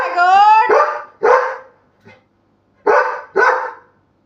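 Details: Labrador Retriever dog, coaxed to bark to get someone out of bed; a drawn-out whine-like tonal note slides into a bark, then a second bark, a short gap, and two more barks in quick succession.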